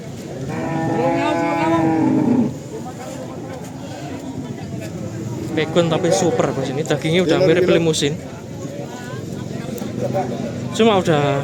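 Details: Simmental cattle, described as pure Australian stock, at the Kerek cattle market in Tuban, East Java: one long, drawn-out moo lasting about two seconds, followed by a murmur of people talking around the pens.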